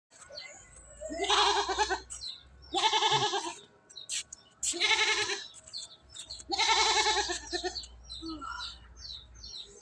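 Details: Domestic goats in Bangladesh, a nanny that has just given birth to two kids: four loud, quavering, nasal bleats, each about a second long, with short pauses between them.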